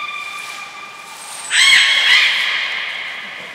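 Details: Training session for belugas Gray, Nana and Mirai, Port of Nagoya Public Aquarium, 7 June 2022: soft sustained tones, then one loud, broad, harmonic squeal lasting about a second before fading.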